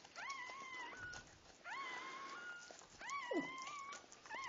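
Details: Puppies around their birth whimper in long, thin, whining cries that rise, hold level, then fall away, three drawn-out calls spaced about a second and a half apart, with soft rustling behind.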